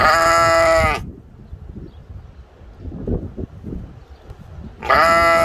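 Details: Ram at a mini zoo in Ventspils, Latvia, filmed in April 2021, gives loud harsh baas about a second long, one at the start and another near the end, with quiet rustling between.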